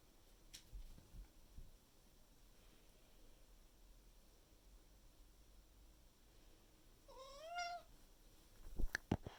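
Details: Miku, a pet Maine Coon cat filmed indoors in May 2021, calls loudly to her owner in the morning, wanting to reach the living room with food and water; one rising-falling harmonic meow late on, with quiet room noise and knocks.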